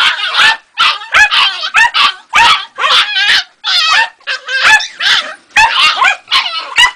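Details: Jagdterrier puppy named Ega, two and a half months old, giving a rapid string of high, shrill yips and squeaky barks. The bursts come close together with brief gaps and whiny, wavering tones between them.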